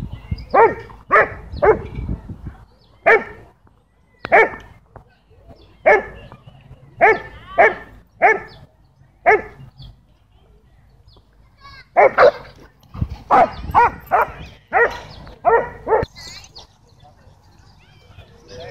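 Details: Dogs at a dog park, tension running high after owners kept their dogs leashed inside, bark loudly and repeatedly in harmonic bursts, often in quick runs of three or four, with short pauses and a final higher yelping note.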